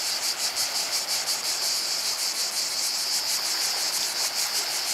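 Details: Loud cicada chorus beside the sea at Portonovo, a harsh high hiss throbbing in quick, somewhat uneven pulses, close to three per second, holding a constant level throughout.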